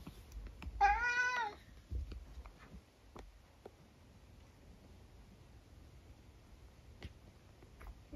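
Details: One loud, slightly wavering meow from Eric, a chatty 12-year-old British tabby cat, followed by several seconds of quiet clicks and small household noises.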